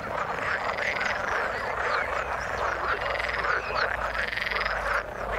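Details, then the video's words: Frogs calling in the water: a dense, unbroken chorus of overlapping rasping croaks from many animals, steady in loudness throughout, with no other clear sounds. "Frog sound in the water"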